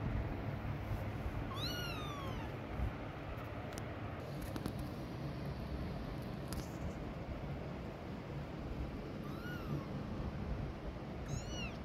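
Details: Domestic cat scene with a mother cat walking away from her hidden kittens to protect them: three high, arched meows with bright harmonics, one near the start and two toward the end, over a steady low outdoor rumble.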